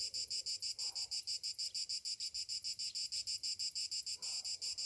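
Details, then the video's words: Cicadas on a summer morning: a high, shrill pulsing buzz throbbing about three times per second in a steady rhythm, with faint lower murmurs in the background. "Morning summer cicadas sounds"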